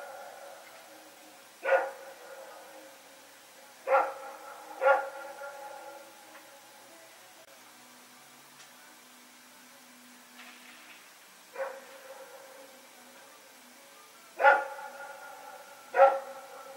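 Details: Night recording from Pyrga, September 21, 2018, of Rex and a companion dog running about: single and paired ringing barks scattered every few seconds across the stretch, separated by quiet gaps.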